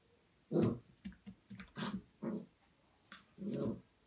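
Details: Golden Retriever puppy, two and a half months old, indoors seeing its own reflection for the first time; low muffled woofs and short gruff barks in a quick uneven series, several soft huffs between, ending in a longer bark.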